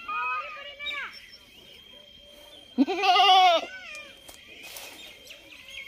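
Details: A single strong, quavering goat bleat lasting under a second, preceded by fainter falling calls and followed by brief clicks and noise bursts.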